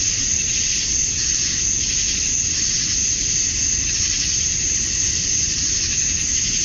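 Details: Summer-night chorus of male cicadas in Georgia, USA, at dusk, calling for females: continuous high, sizzling buzz holding steady throughout, over a quiet low-frequency hum.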